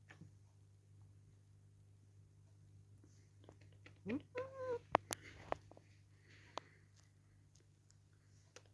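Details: Held up and kissed against his liking, the house cat Dale complains with a short burst of whiny meows, one rising sharply and another bending down, followed by sharp clicks and a low background hum.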